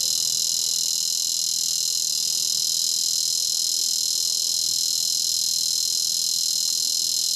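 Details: Several bush cicadas (Neotibicen dorsatus) give their calling song in Topeka, Kansas, a loud, steady, high-pitched buzzing drone without pause; finding: Bush cicada.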